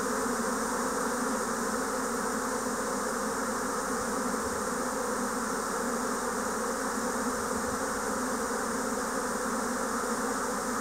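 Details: Spring 2024 swarm of Japanese honeybees filling the air around the listener: continuous massed buzzing, an even drone layered with a higher fizzing whir, steady in loudness throughout.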